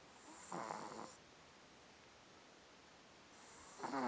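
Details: French Bulldog puppy asleep indoors, snoring lightly: a raspy, breathy snore of about half a second near the start, a long quiet pause, then a second, louder rasping snore just beginning at the end.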